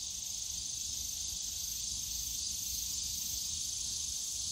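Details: Cicadas on a summer day in the bamboo forest of Yongsan Family Park: a steady, dense, high-pitched shrill drone with no breaks and a faint low rumble of park noise beneath.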